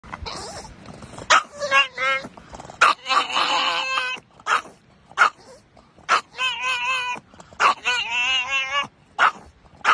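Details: Pug barking excitedly at passing bicycles, a lifelong hatred; short sharp yaps mixed with higher wavering whining cries, bursts coming every second or so, with some human voices in between.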